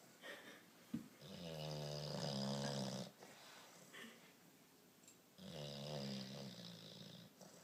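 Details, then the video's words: Tired bulldog asleep indoors, snoring in two long, rumbling, rattling breaths about four seconds apart, each lasting roughly two seconds, with soft wheezy breathing between them. "Snoring bulldog"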